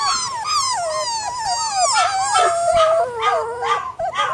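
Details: Flat-coated retriever puppies, brother and sister, giving continuous high wavering whines and yelps, overlapping cries that rise and fall rapidly, with quieter puppy voices mixed in.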